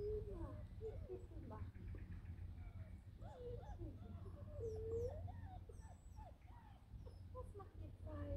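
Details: Six-week-old Hovawart puppies, nearly house-trained, whimpering and squeaking in a rising and falling series of high thin whines, several overlapping, over a steady low hum.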